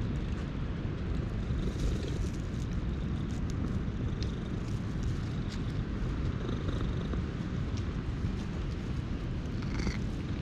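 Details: Stray cat purring while being petted, with a yawning orange tabby and an intruding brown tabby present, recorded on a GoPro HERO8; a steady, low rumbling purr runs unbroken throughout, with faint scratchy rustles above it.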